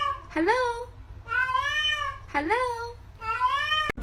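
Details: House cat repeating four loud, bright meows about one second apart, each rising then falling, in a quiet indoor setting ending with a sharp knock.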